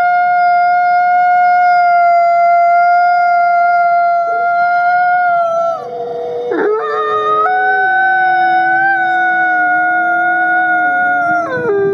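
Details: Nikai, a captive-born gray wolf and ambassador wolf at the Wolf Conservation Center in South Salem, New York, holds long, steady, mid-pitched howls with layered overlapping voices, then the tones waver and drop lower in the second half.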